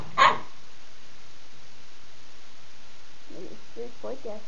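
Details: Two Husky puppies, Demon the grey and white one and Rosco the black and white one, playing indoors on 2007-07-15; a single sharp, loud bark bursts out at the start, then a quiet room and a person talking near the end.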